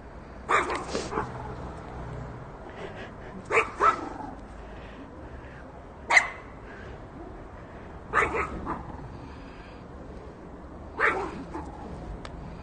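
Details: Chihuahuas, long-haired and short-haired, giving short sharp yapping barks in spaced bursts of one to three, five bursts roughly every two to three seconds over a quiet background hum.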